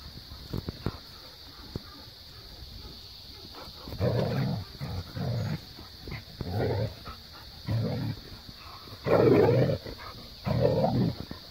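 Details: Two pet dogs, Maya the Siberian husky and Jo the Australian cattle dog (blue heeler), romp and chase each other. Rough grumbling growls come in bursts of about a second, separated by short pauses, after a stretch of faint knocks.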